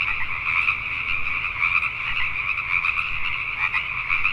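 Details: Pacific tree frogs calling at night in Richmond, British Columbia, Canada: a dense, continuous chorus of overlapping raspy croaks, steady throughout, with no single caller standing apart.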